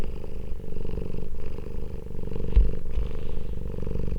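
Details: Domestic cat from a cat family reunited after two weeks apart, purring: a steady, low, throbbing rumble that runs throughout, with brief dips where breath pauses near 0.6 and 1.3 seconds, and a soft rustle late on.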